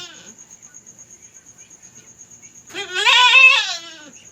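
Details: Young domestic goat giving birth for the first time, at night in a backyard, letting out one loud, wavering bleat of about a second after near silence with a constant high tone.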